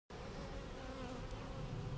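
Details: Honey bees in a hive on March 10, 2019, being checked for queen cells seven days after a vertical split with a double screen divider board; a steady, dense, low droning hum fills the whole stretch.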